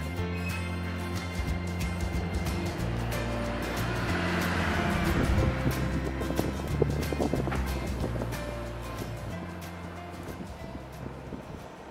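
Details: Continuous music with a low repeating bass line over a broad wash of noise like passing traffic or surf, with no animal calls.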